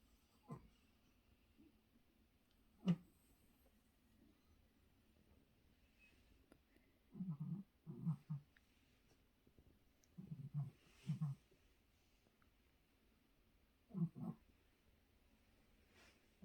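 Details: Jerry, a pet dog, snoring while asleep indoors: low, rumbling snores come in short paired bursts, spaced a few seconds apart, with faint clicks between them and a quiet room behind.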